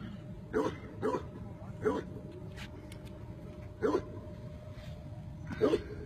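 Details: Tibetan Mastiff giving five separate barks, spaced irregularly over about six seconds, with a low steady hum underneath.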